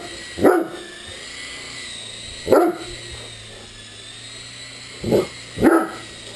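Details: Great Dane barking at an RC helicopter it plays with: four deep barks, the last two close together, against the continuous high whine of the toy's rotor motor.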